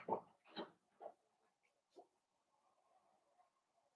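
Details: Blenheim Cavalier King Charles Spaniel puppies, a litter of five born on New Year's, playing with their mother Paris in an indoor puppy pen; four sharp, broadband yips in quick succession, then a soft low murmuring grumble.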